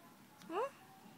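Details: Poodle puppy letting out one brief rising whine, thin and tonal with bright harmonics, lasting under a quarter second in a quiet small room.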